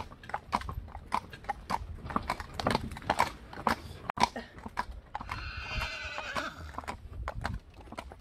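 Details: Friesian horses, a pair born in 2013 and seven years old, pulling a relaxed drive through a meadow; a rough harmonic whinny lasting about two seconds rises over steady clip-clop hoofbeats.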